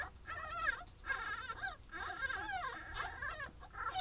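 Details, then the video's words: Week-old pine marten kits from a captive breeding programme in England give continuous squeaky, wavering whimpers, several overlapping with bending pitch, over faint low background hum. "Pine Marten Babies - Week 1"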